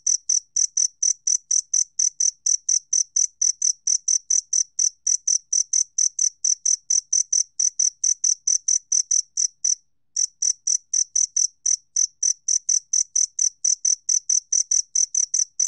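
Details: A two-spotted cricket from the National Institute of Biological Resources' 2020 collection gives sharp, high chirps in rapid succession. They break off for about half a second near the ten-second mark and then resume at the same pace, with a quiet background.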